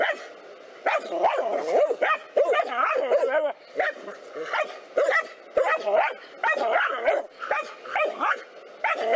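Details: Two black dogs attack a cobra, barking continuously. The rough, harmonic barks are grouped in rapid volleys with short gaps, some shifting to high yelps, and the excited calling keeps up throughout.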